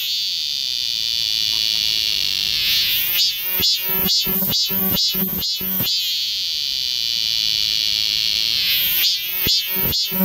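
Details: Summer cicada chorus in the forest of Galsan Park, Mokdong, Yangcheon-gu, Seoul: a steady high shrill hiss fills the background, then a loud burst of rhythmic throbbing pulses, about two or three per second, starts after three seconds and returns near the end.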